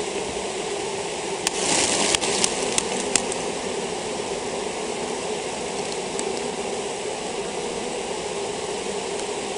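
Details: Honey bee colony with European foulbrood: a dense, steady hum of many bees, with a few sharp clicking knocks near the start.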